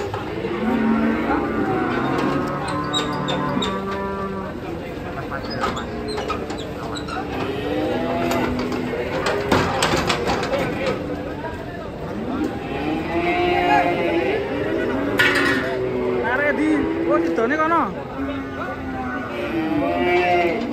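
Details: Moos from a large black grandong bull raging while being taken down from a truck in Indonesia: repeated arching moos come in close succession, with clatter bursts near the middle, people's voices and background music.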